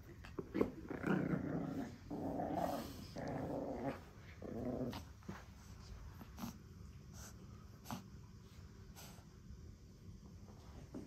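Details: Pekingese puppy growling indoors while guarding its beloved toy monkey doll in a playful fight; rough, rumbling growls in uneven bursts over the first five seconds, then quieter snuffles and soft thumps of play.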